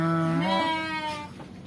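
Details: Garut sheep kept on a farm beside a simple house in Kampung Sedekan, Desa Mekarlaksana, Sindangbarang, South Cianjur, a countryside spot far from neighbours; a single nasal, wavering bleat rich in overtones, held about a second before fading out.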